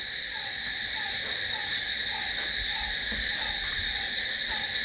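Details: Crickets calling at night: a steady, unbroken high-pitched shimmering trill with several stacked tones, plus a lower short note repeated roughly every 0.6 seconds.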